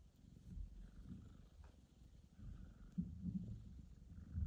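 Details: After a hard birth and surgery, the mother cat Mosya first meets her newborn kitten Michael. Low rhythmic purring rises and falls in waves, with faint higher hum and soft bumps.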